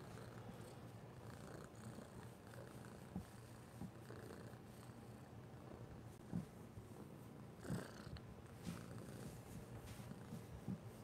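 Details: Young orange cat purring while seeking affection; a steady low rumbling purr runs throughout, with a few soft clicks and brief louder bursts.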